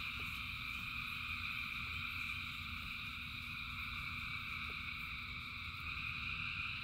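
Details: Many frogs chorusing in rain, the calls merging into continuous high buzzing layers with no pauses, accompanied by a dull low rain and water noise throughout.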